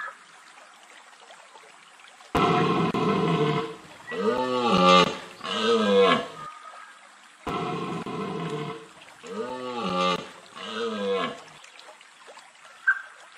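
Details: A red deer stag roars during the rut in two bouts, each a long hoarse bellow followed by two shorter groans, in a Vercors forest on 30 September 2022, fog clearing around 19:15.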